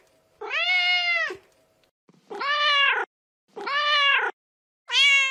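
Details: Four long, steady meows from a mother cat calling for her kittens, each held nearly a second, the first longest, separated by brief pauses.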